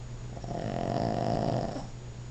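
A Boston Terrier snores, one low, rattling breath swelling and fading in a quiet room.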